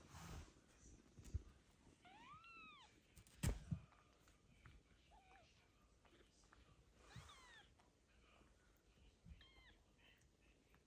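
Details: Hungry kitten Michael, raised by foster cat mother Basia and bottle-fed every two hours with a syringe-bottle, gives thin, high mews that rise and fall, in three short bursts spread across the clip, with soft handling thumps and room noise behind.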